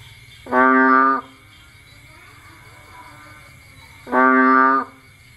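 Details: Rainy nighttime Cambodia: a bullfrog out hunting food gives two loud, nasal, moaning notes about 3.5 seconds apart. Each is short and evenly held, with a steady high-pitched insect drone throughout.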